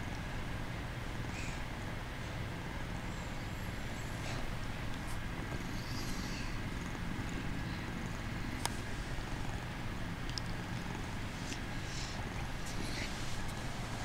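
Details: Male kitten pretending to be asleep while purring: a continuous low rumbling purr without breaks, recorded close up, with a few faint clicks and rustles.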